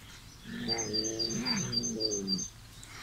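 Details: Eating Bengal kitten, a loud visiting one, gives a low, rumbling, wavering moan-like meow of about two seconds, dipping and rising in pitch, with faint high chirping in the background.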